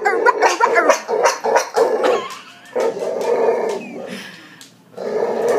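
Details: Hiccup-like barking from a Boxer that had kennel cough as a pup, a rapid run of short, clipped barks and growly bursts, then a pause and another burst, with a person's voice mixed in.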